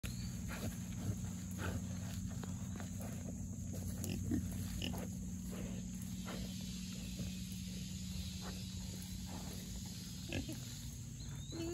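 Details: Four young Mangalitsa pigs rooting up a forest after a big rain; steady low grunting and snuffling fills the clip, with faint thin bird whistles above.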